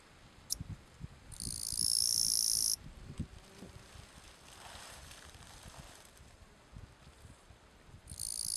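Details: Gampsocleis schelkovnikovae bush-cricket calling song, recorded 11–12 September 2012 at Letea, Romania: a loud, high, hissing buzz lasting about one and a half seconds, faint buzzing, then another buzz beginning, with low rustling between.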